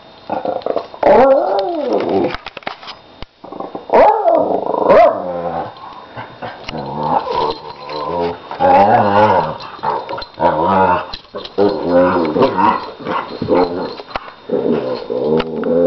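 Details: Nine-year-old Lhasa Apso playfighting with a one-year-old puppy, using her play howl to entice fighting: rough, harmonic growls that rise and fall in uneven bursts with a few short barks between, and brief pauses.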